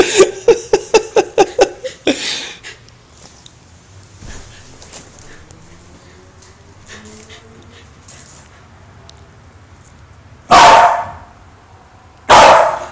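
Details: Female Welsh Corgi that hates lighters, indoors: a quick run of rhythmic, laughter-like pulses opens, then a low murmur, and two sharp, loud barks about two seconds apart at the end.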